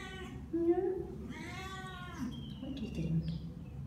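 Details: Two-month-old female tortoiseshell domestic medium hair kitten awaiting adoption indoors: two clear, high, arched meows, the second longer and wavering, with a person talking softly in the background.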